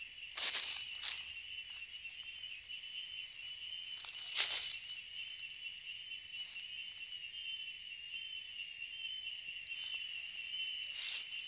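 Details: Cicada song as a constant high-pitched electric buzz sustained for over eleven seconds, broken only by a few sharp rustling clicks near the start and middle.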